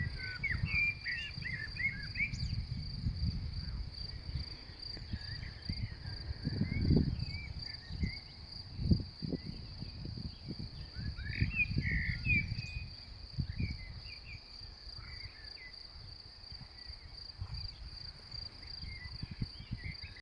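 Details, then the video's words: A May meadow where grasshoppers give a constant high, even shrill, overlaid by bursts of bird twitters and a loud rumbling of wind across the whole recording. "мне кажется раньше кузнечики начинали не в мае стрекотать"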